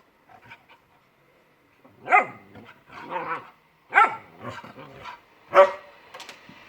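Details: Two pet dogs, a puppy and an adult, playing in a yard: a few sharp barks about every one and a half seconds, each followed by softer yips and grumbles, quiet pauses between.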